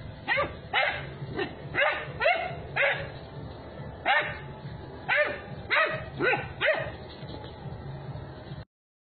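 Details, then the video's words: Doberman Pinscher puppy barking while play fighting with a German Shepherd: about a dozen sharp, yappy barks and yips in uneven bursts, roughly two per second, with short gaps and soft whimpering between. "Doberman Pinscher Puppy vs German Shepherd Play Fighting"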